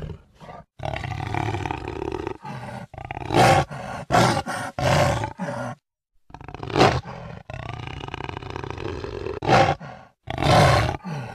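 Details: Jaguar roaring in loud, rough, broadband bursts, several short roars broken by abrupt silent gaps, with a steady low rumble beneath each burst.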